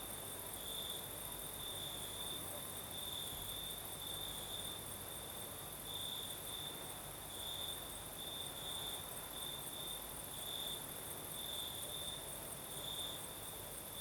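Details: Several crickets sing on a night in southern Crimea amid a night breeze: an unbroken high trilling chorus with brighter pulsing bursts every second or two, a distant very high insect shimmer and a constant soft rush of wind.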